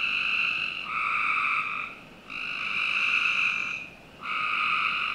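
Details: Frogs calling on a summer night in the backyard of a Northern Virginia home: steady, buzzy trilled notes in overlapping bursts about one to two seconds long, separated by short quieter gaps.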